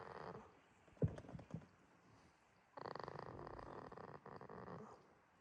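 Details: Sleeping goat on a quiet farm in Himi, Toyama, Japan, recorded March 2026, gives a brief breath, a few soft knocks, then one long rattling, buzzy snore lasting about a second and a half.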